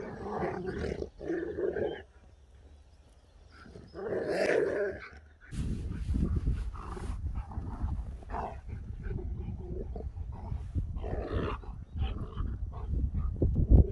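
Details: A husky named Sherpa wakes happy to a surprise after a long journey asleep: short whining, talking bursts near the start and middle, then steady low rumbling noise with faint scattered vocal sounds.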